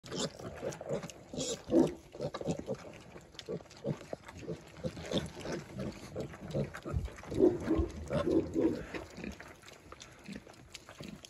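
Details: Kunekune piglets, growing and starting to eat real food alongside their mother, giving a dense stream of soft, rapid grunts and snuffles with rustling and feeding noises throughout.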